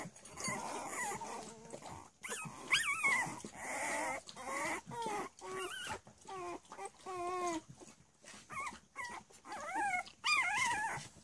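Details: Cavalier King Charles Spaniel puppies at three weeks old, at play, with many high, wavering squeals and whimpers rising and falling in quick succession, plus scrabbling noises.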